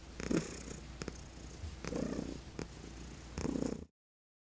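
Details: Senior female cat getting chin rubs, purring contentedly; three rumbling breath-paced swells of low purr with soft rubbing clicks between them, then abrupt silence.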